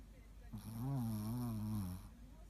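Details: Ruby, a Shih Tzu kept as the mascot dog of Progreso, snoring while asleep, recorded 13 February 2018: one drawn-out, voiced, droning snore lasting about a second and a half, its pitch wavering gently, over a low steady background hum.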